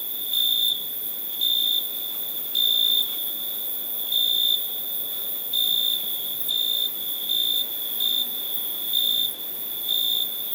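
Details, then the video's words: Steady cricket chirps, high and thin, each burst lasting under half a second and repeating about every second, set against a continuous shrill tone and soft background hiss. "Cricket sound"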